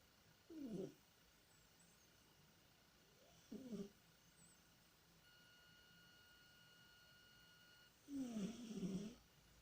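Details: Domestic cat Tikhon, asleep and dreaming indoors, makes three soft snoring moans, each a short low tonal groan lasting under a second, spaced a few seconds apart against a quiet room hum.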